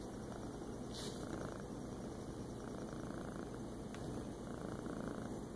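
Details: Feral cat relaxing in a lap on a kitchen floor on the morning of 14 August 2014; a soft, steady, low rumbling purr runs throughout, with a faint hum and a couple of brief clicks.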